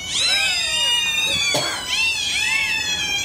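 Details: Newborn Pembroke Welsh Corgi puppies, six delivered by Caesarean section and revived, kept together for warmth, give thin, high, squealing cries that overlap one another.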